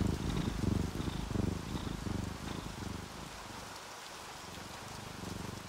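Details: Contented sleeping house cat, orange tabby or calico, giving a loud low purr that swells, fades around the middle, then resumes more softly, with light rain hissing behind.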